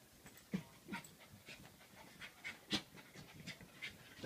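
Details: Corgi puppy, three months old, meeting its reflection in a mirror for the first time, breathes in short noisy huffs and pants, some sharper sniffs standing out, spaced unevenly across a few seconds in a quiet room.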